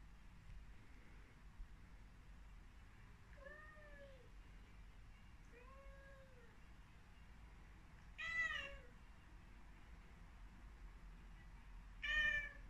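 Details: Devon Rex kitten meowing indoors while facing a mirror; four separate meows, the first two soft and slightly rising-falling, the last two louder and brighter, spaced a few seconds apart over a quiet low room hum.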